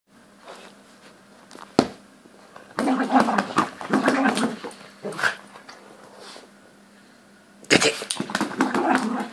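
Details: Louis, a toy poodle, ragging a teddy: bursts of rough, noisy growling in two main spells, the first lasting several seconds and the second starting near the end, over a low steady hum.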